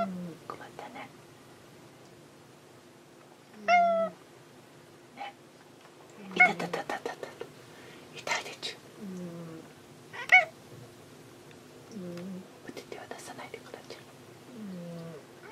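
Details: An indoor cat hunting for its housemate meows repeatedly, short rising and falling cries spaced several seconds apart, while a woman talks soothingly over much of the recording.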